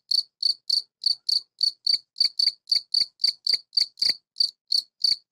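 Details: A male European field cricket (Gryllus campestris) stridulates, mainly with its wings, to call females: steady, high, pure-toned chirps, three or four each second, amplified inside a tortoise greenhouse.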